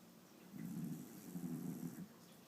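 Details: Shiba Inu asleep indoors, snoring; one soft, low, rasping snore lasts about a second and a half, with quiet room tone on either side.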